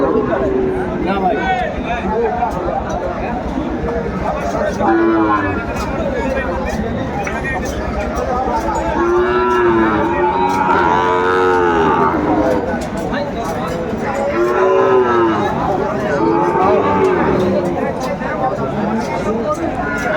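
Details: Sahiwal bull at a cattle market in Madaripur, Bangladesh, on 10 September 2024, with a farmer buying and bargaining nearby. Drawn-out, arching low moos rise and fall near the middle and again later, over constant crowd chatter and men's voices.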